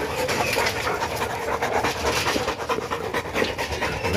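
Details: Boerboel, a South African Mastiff kept as a pet in Egypt, during a weekly cleaning session: fast, steady breathy panting runs through the whole stretch in quick rhythmic huffs, with no barking and faint room noise behind.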